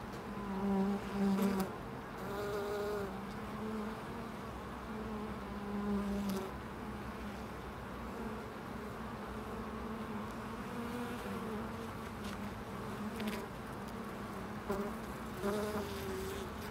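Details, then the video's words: Bees at a loading dock, several buzzing passes drifting in and out, each a low droning hum that swells and fades over one to two seconds, over a steady mechanical hum and faint background noise. "Bees at the loading dock"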